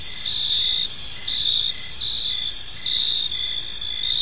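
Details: Crickets chirping on an evening in a peaceful park: a steady high-pitched insect chorus with pulsed trills pulsing in and out, overlapping callers, no other clear sounds.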